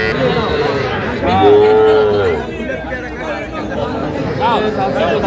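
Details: Calves, young bulls and heifers, at a busy market in Cumilla, Bangladesh, on 11 January 2025; one clear, steady moo lasting about a second stands out, then fainter calls follow beneath loud talking and bargaining.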